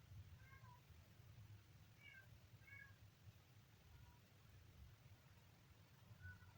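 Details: Kitten giving about five short, thin, high-pitched meows, some in quick pairs, spread across roughly six seconds, over a steady low rumble of background noise.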